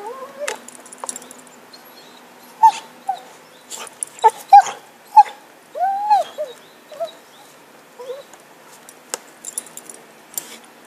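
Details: Happy the dog, at play with a stick in 2012, lets out scattered high yips and a drawn, arching whine among sharp clicks and knocks, with quieter stretches between bursts.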